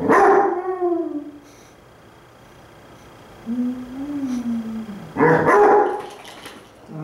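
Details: Pet Basset Hounds howling back and forth, one lazily lying on its side: a falling harmonic howl opens, a softer low wavering moan follows, then a loud rough bay bursts in near the end.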